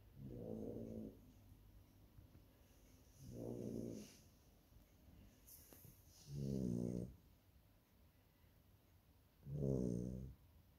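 Labrador puppies snoring: four low, rattling, drawn-out breaths, each about a second long, coming roughly every three seconds over quiet room hiss.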